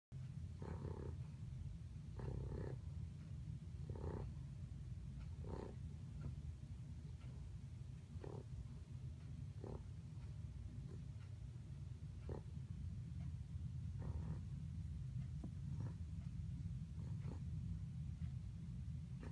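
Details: Pug dog dreaming in its sleep, snoring and snorting: a steady low rumble throughout with short broadband snorts roughly every one to two seconds, some doubled.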